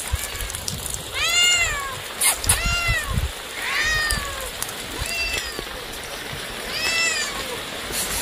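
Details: Meowing cats or kittens: about five clear, arched meows, each swooping up then down, spaced roughly every second or two, over a steady rushing background hiss.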